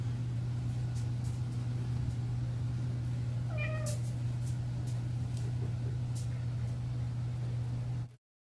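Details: One of three kittens walking on tin foil gives a single short falling meow midway, over a loud steady low hum with scattered sharp crinkling clicks from the foil.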